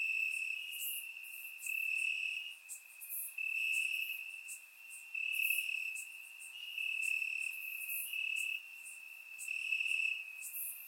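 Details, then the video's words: Crickets chirping in the grass on a warm summer night in Bulgaria, a steady high trilling drone overlaid with pulsed bursts of chirps that swell and fade every second or two, recorded with a surround microphone. "Cricket Sounds - Crickets Chirping at Night"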